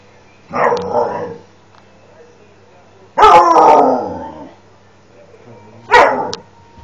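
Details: Alaskan Malamute, very displeased during training, giving three loud drawn-out grumbling howl-barks, the middle one longest and wavering, spaced a few seconds apart in a quiet room after a person's brief spoken word.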